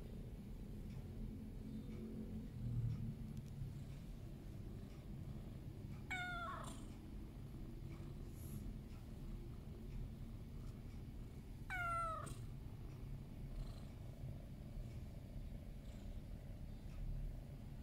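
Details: Loki, a sleepy pet cat, meows to be petted: two clear drawn-out meows, each sliding downward, spaced about six seconds apart over a steady low hum.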